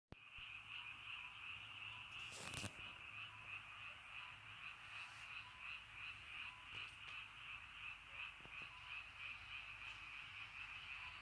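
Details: Frogs calling in the rainy countryside at early night: a dense, continuous pulsing chorus of many overlapping high trilled croaks, with one brief sharp click-like noise near the start.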